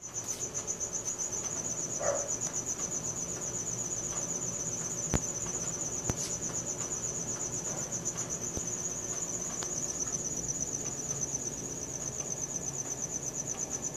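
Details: Crickets at night recorded on a Samsung Galaxy S4: a steady, high, rapidly pulsed chirping continues throughout, with a brief lower sound near two seconds and a few faint clicks against a quiet background.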